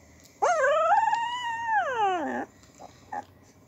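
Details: Two-week-old English Springer Spaniel puppy in Louisiana, among a litter sleeping and eating: a single long whining whimper lasting about two seconds, rising slightly then sliding downward at the end, followed by faint short squeaks.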